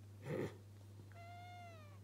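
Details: Pet cat during play, giving a single drawn-out, slightly falling meow after a brief thump, over a steady low electrical hum.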